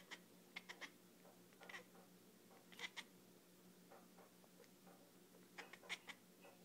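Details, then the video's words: Dolphin-like clicking from a female cat seeing lasers: short groups of two or three sharp squeaky clicks, repeated every second or so over a steady low electrical hum. "Cat that sounds like a dolphin"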